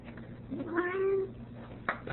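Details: Ragdoll cat indoors, a female that dislikes her owner leaving; a single moderate meow, rising then flat and drawn out, while a woman's voice says she must go outside.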